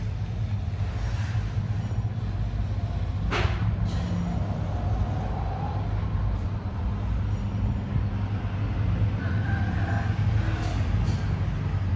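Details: A steady low engine rumble from a vehicle runs throughout, with a few brief knocks and faint higher tones on top.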